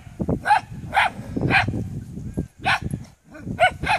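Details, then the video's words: Several Maremma Sheepdog pups yelp in short, high-pitched barks about every half second over a steady low rumble of background noise. "Maremma Pups | Barking"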